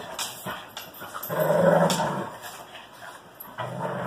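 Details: Greyhounds and a French Bulldog playing roughly together indoors, one giving a sustained low growl lasting about a second, amid scuffling, thumps and quick panting bursts.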